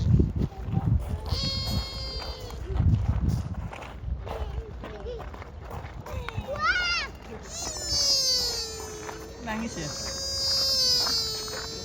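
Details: Deer at Kofuku-ji temple in Nara, Japan, giving a cute nasal 'funi~' or 'ni~~' cry: a drawn-out, steady whining tone after several seconds of people talking nearby.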